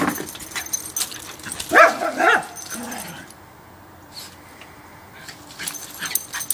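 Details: Parson Russell Terriers playing together: Kimi, a short-haired female aged two, and Brian, a long-haired male aged eight. A quick pair of high, strained yelps comes first, then a quiet stretch, then faint scuffling.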